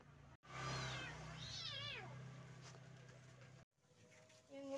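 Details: Village mother cat with her kittens; one long wavering meow rising and falling, with a steady low hum beneath and faint later sounds.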